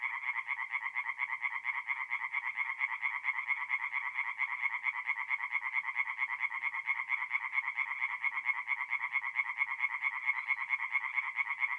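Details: Nocturnal chorus of tree frogs at a forest pond, north-east Italy, mid-April: an unbroken, even stream of rapid grating croaks, many per second, forming a continuous buzzing wall of sound.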